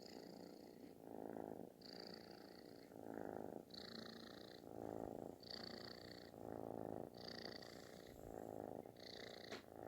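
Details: Kitten purring loudly, like snoring, while seeking affection; a steady rumbling throb with alternating breathing phases, each lasting about a second, some phases adding a brighter hissing layer, continuous throughout in a quiet room.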